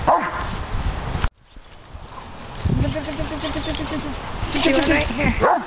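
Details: Diesel, a three-year-old Doberman Pinscher, excited by bubbles, gives a sharp bark, then after a pause a string of quick wavering yips and whines, with people talking over him.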